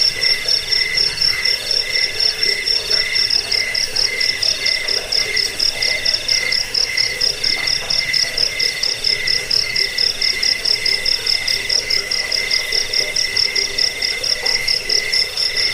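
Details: Shrill cricket song runs on without pause, high metallic pulses repeating roughly twice a second over a quieter, lower buzzing band.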